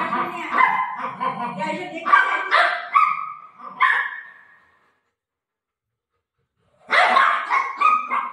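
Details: Buzo, a pet golden retriever playing with his owner at home, barking as if telling her a visitor has come to the door: a burst of loud, rough barks over four seconds, a pause, then more barks, with voices talking nearby.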